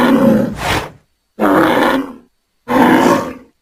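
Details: Bull in a pasture giving angry, rough bellows: three loud, grating blasts of about a second each, evenly spaced with short silent gaps.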